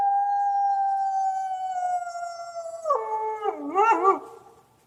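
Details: Coyote giving a long, steady, clear howl that sags slightly in pitch for about three seconds, then breaks into wavering, warbling yips and quavers before fading out.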